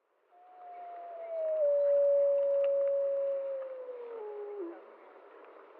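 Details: Gray wolves of the Prospect Peak pack near the Blacktail Ponds give a full chorus howl before dawn on October 10, 2014, drawn to a bison carcass; one long, smooth howl holds steady, then slides down and fades.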